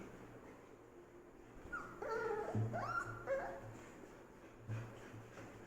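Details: Golden Retriever puppy gives a brief cluster of squeaky whines and yelps, wavering up and down, then quiets; a low background hum persists.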